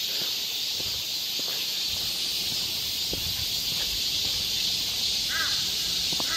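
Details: Summertime cicada chorus among the trees of Galsan Park, Mokdong, Seoul: a constant high-pitched rasping wash that swells a little toward the end, and a crow gives a short caw near the close.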